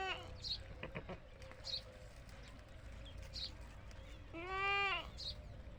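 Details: A goat on a farm of Desi goats gives a single loud, nasal, slightly wavering bleat after a few scattered knocks and clatters.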